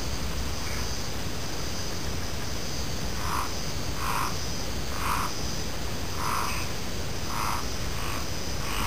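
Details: A frog gives bright, short croaks, spaced roughly once a second after a quiet opening. Faint chirping insects and steady background hiss accompany it.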